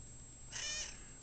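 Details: Indoor cat begging for more food utters one short, high, strained meow with bright stacked overtones, lasting under half a second in a quiet room.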